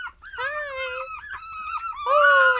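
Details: Miniature Australian Shepherd puppies making noise indoors: overlapping high whines and squeaky yelps, wavering and sliding in pitch, louder at the end, with a woman's voice nearby.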